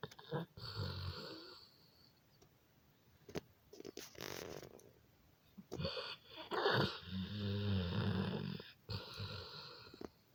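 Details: A sleeping dog snoring indoors: irregular bursts of low, rumbling, wheezy breaths with quiet pauses between them, the longest and loudest snore stretch coming toward the end.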